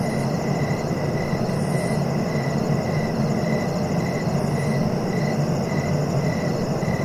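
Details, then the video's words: Steady cricket trilling, made of rapid evenly spaced pulses, with occasional higher buzzy bursts above them, all set against a loud continuous low rumble of background noise. "Relaxing cricket sounds"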